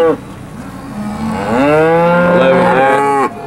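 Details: Steers being sold at a cattle auction in Alabama, 8 August 2013: a low, soft lowing gives way to a long, loud moo that climbs slightly and holds for nearly two seconds, then stops abruptly.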